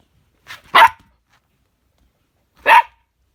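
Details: Husky and chihuahua dogs playing indoors in a small room: a soft short yelp, then two sharp loud barks about two seconds apart, followed by a woman calmly telling the dog to settle down.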